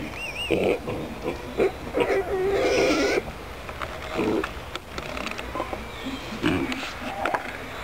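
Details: Small, curious pot-bellied pigs in a city-park animal enclosure at Pöhlberg, Annaberg-Buchholz, grunt and give short, rough squeals in bursts, with some background noise.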